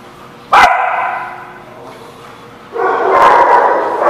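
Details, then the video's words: Dog barking, recorded 10/6/17: one sharp, loud bark with a long fading tonal tail, a quiet pause, then a sustained, harsh, harmonic-rich bark that swells and holds to the end. "The Barking Lot"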